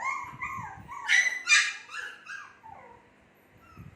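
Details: Shih Tzu puppies about two months old whine and yip in high, wavering, bending notes, with a couple of sharper squeals.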